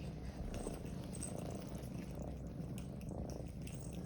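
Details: Several cats kept together in a room, restless and eager as a familiar caretaker returns to play with them, purr steadily: an unbroken low rumbling throb filling the four seconds, with faint soft rustling above.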